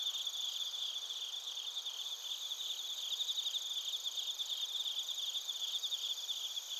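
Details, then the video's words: Chorus of bell crickets and crickets in Narita, Chiba, Japan, captured on a TASCAM Portacapture X8: dense, high-pitched continuous chirping with a faint shimmering pulse that swells slightly louder in the second half. "スズムシとコオロギの鳴き声 - Chirping of crickets"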